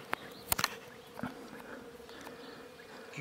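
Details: Honey bees buzzing around a wild hive as it is removed from a bush on an Iranian mountainside, bees attacking: an even low hum underlies sharp clicks and taps near the start and a brief thud midway.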